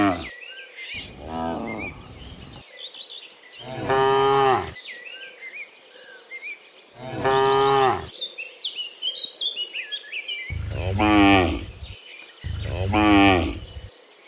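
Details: Dozens of cows being herded home from the fields to the pen in the afternoon; five deep, harmonic moos, some long and wavering, spaced a few seconds apart, with chirping birds in the background.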